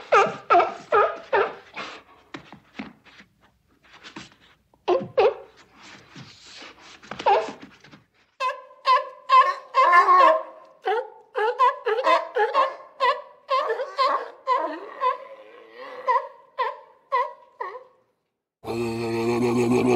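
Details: Sea lions on a beach give rapid, hoarse, honking barks in uneven bursts, several each second.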